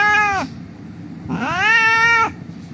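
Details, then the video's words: Injured street cat crying while being rescued and handled for treatment: a short meow falling at its end, then after a pause a longer rising-and-falling wail, with low background noise. "The cat was lying on the street crying"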